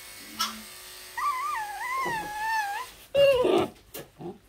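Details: Young Pembroke Welsh Corgi puppy protesting being brushed indoors: a drawn-out, wavering high whine that rises and dips over about two seconds, then a louder burst of sharp yelping cries, with faint room hum underneath.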